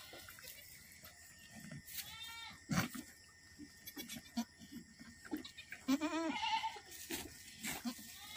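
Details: Boer goat delivering twins, kept by an Aceh breeder; brief tremulous bleats near two and six seconds, one rising and falling, amid knocks, rustles and a steady faint hum.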